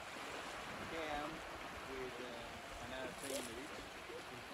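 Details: On a South Georgia shoreline in the pupping season, many Antarctic fur seal pups lining the beach give short, wavering, bleating calls that overlap one another against a steady wash of surf.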